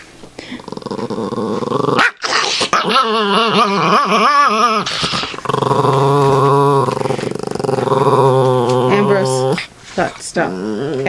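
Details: Ambrose, a pet dog, growls and grumbles almost without pause while being playfully teased indoors; long rumbling, wavering growls with yippy rises, voices calling his name over the top.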